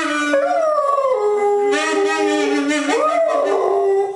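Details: Dog howling along with a saxophone while relaxing on a staircase, a duet called the Dragon chant; long wavering howl with a saxophone tone running beneath it, the pitch sliding up and down through the whole clip.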